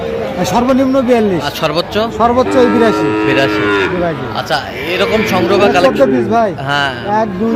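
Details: Sahiwal cattle at a busy cattle market on 19 December 2025, where a Tangail farmer buys a Sahiwal bull calf; several overlapping moos, some drawn-out and bending in pitch, come one after another over steady market chatter.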